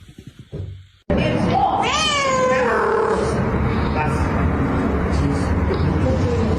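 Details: Domestic cat meowing: after a short burst of sound, one drawn-out harmonic meow rises and then falls, over steady background noise.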